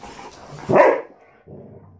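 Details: Standard Poodle at play among three breeding females and Onyx: one loud, abrupt bark, harsh and brief, followed by quiet low shuffling.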